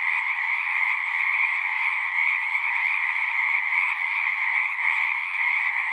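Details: Continuous frog chorus, countless overlapping trilled calls forming a steady two-toned drone with slight pulsing, no other sounds standing out.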